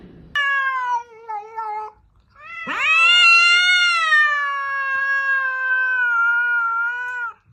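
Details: Domestic cat meowing: a short harmonic meow, a brief pause, then a long, loud, drawn-out meow that rises sharply and slowly falls over about five seconds, in an otherwise quiet setting.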